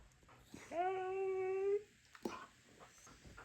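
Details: Taco, a Siberian Husky indoors, calling early in the morning to rouse the household: one steady, sustained whine of about a second, level in pitch after a short rising start, over quiet room noise with soft shuffling.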